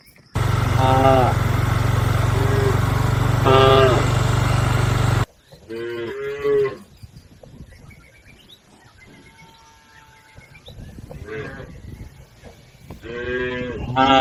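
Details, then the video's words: Herded cattle crossing a river toward their pen; moos heard under loud low engine-like noise for the first five seconds, then clearer moos around 6 and 13 seconds against quieter surroundings. "Bunyi sapi"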